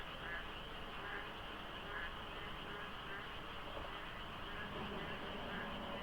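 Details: Frogs at dawn in the rainy season by the Deokso IC highway, light fog; overlapping croaks with louder bursts about once a second standing out from the dense chorus, low road noise behind.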